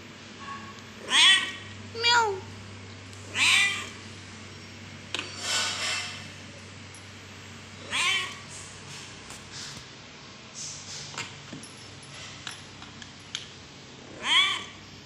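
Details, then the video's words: Angry kittens meowing repeatedly: short, rising-then-falling meows come in bursts every one to three seconds, some higher and thinner, with a breathy sound midway and a steady low hum underneath. "kittens meowing 😘😂😁cute pleasant meowmeow angryy"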